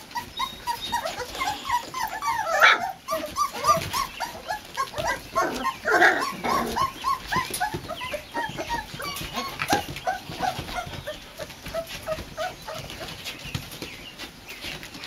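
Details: Several four-week-old Boxer puppies, let into their new porch daycare pen, make a steady chorus of short, soft whimpers and yips, with a couple of louder bursts and background shuffling and knocks.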